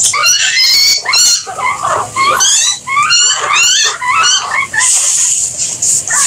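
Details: Guinea pigs giving loud, high, rising whistled squeals in rapid runs of sweeping harmonic notes, with brief gaps and a hissy high-pitched background.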